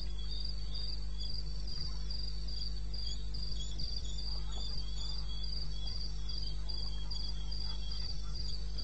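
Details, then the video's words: In eastern Botswana's wilderness at 02:30 AM on 21 May 16, a cricket keeps up a high, regular chirping of about three pulses a second, with a quieter lower trill and a persistent low drone. "1 Hour cricket sound-Africa"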